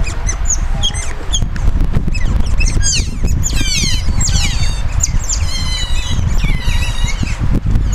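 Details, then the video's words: Captive Asian small-clawed otters (Aonyx cinerea) at Zoo Duisburg, Germany, before feeding: scattered high chirps at first, then rapid wavering squeaky trills, with heavy low rumbling noise throughout. "Cute otters making funny noises while waiting for the feeding"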